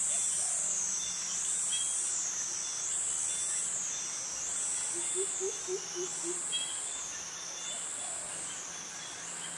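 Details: Jungle cicadas in Krabi, Thailand, males giving their mating call, a loud wavering high buzz rising and falling steadily, joined midway by five short low hoots in quick succession, crickets underneath.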